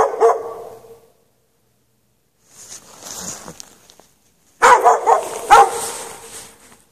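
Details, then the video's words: Chained dog barking outdoors in the snow at night, 3 March 2014, left without shelter for hours; a single bark, then a stretch of hissing noise, then a rapid flurry of echoing barks. "Dog barking chained out in the snow"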